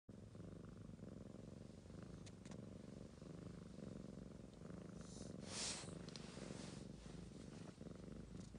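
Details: Ragamuffin cat purring while actively involved with a sleeping girl indoors; a steady low rumbling purr runs throughout, with a brief rustling burst near five seconds.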